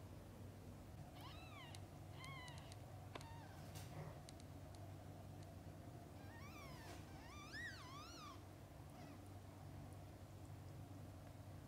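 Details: Mother cat with her kittens, from birth to eye-opening: a series of short high arched mews, some doubled, at roughly one-second spacing, over a constant low background hum with occasional clicks.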